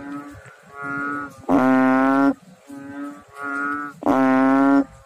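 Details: Frogs in water, recorded close and loud: long, droning, harmonic croaks. Short, quieter notes alternate with louder, fuller blasts about every two and a half seconds.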